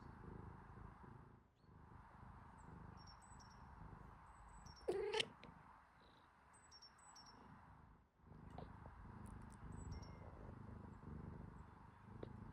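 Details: A kitten suckles milk from its mother cat, making soft, rapid, rhythmic suckling and smacking sounds with a low purring rumble and one brief squeak, before falling asleep.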